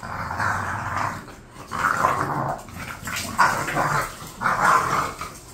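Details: Two bored pet bulldogs making drawn-out rasping growls in quick succession, several rumbling bouts within a few seconds.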